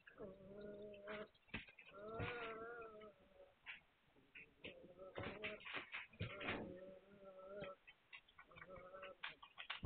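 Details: Hungarian Vizsla puppies, recorded 9 March 2021, give a run of drawn-out harmonic whines, each about a second long, broken by short squeaks and a busy background of clicks and scratching.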